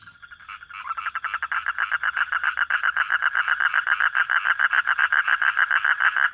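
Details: Frogs at night: a soft start that builds into a fast series of harsh, pulsing croaks, around three to four per second, growing steadily louder.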